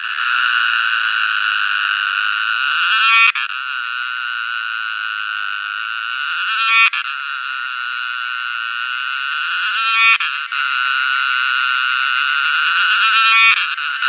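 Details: Cicada producing a sustained, high, electric-sounding buzz in long phrases, each swelling slightly and cut by a short break roughly every three and a half seconds.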